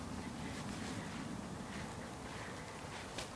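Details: Gusty wind buffeting the microphone, with no animal sound.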